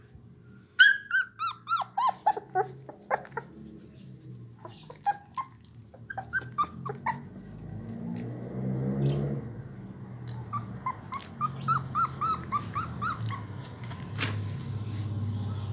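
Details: Twenty-four-day-old blue American Pit Bull Terrier puppies, offspring of Raven, give a series of thin, high, pitch-bending whimpers and squeaks, first clear and spaced, later over a steady low mechanical hum.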